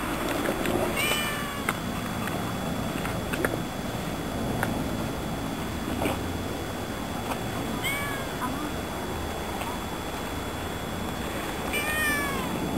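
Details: Stray cat meowing: short rising-falling meows near 1 and 3.5 seconds, then a paired series around 8 and 12 seconds, over steady broadband background noise with a faint constant high whine.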